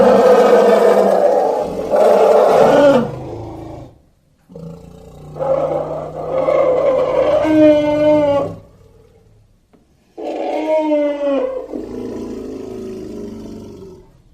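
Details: Young elephant calling in three separate bursts: a harsh, roaring blare, then higher tonal squeals that rise and bend in pitch, with quiet gaps between the calls.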